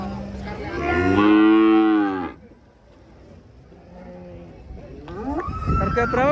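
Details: Cow mooing in a long, loud, rich harmonic low that holds steady for over a second before stopping abruptly. After a quiet gap, a second rising moo begins near the end. Faint voices in between.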